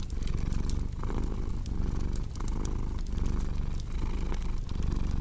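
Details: Low, rolling cat purr with rhythmic breathing swells, accompanied by the intermittent sharp clicks and snaps of a crackling fireplace in a calm sleep soundscape.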